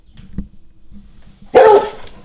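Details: Rescue trailhound at home, excited after hearing a squeaky toy sound played through the TV, gives one loud, sharp bark after a quiet stretch with faint background noise.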